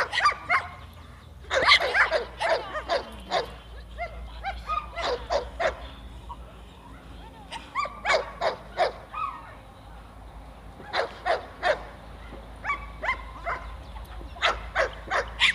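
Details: Seven-month-old Staffordshire bull terrier barking during defence training: loud, harsh barks in rapid bursts and clusters throughout, with short pauses between volleys and faint chirping in the background.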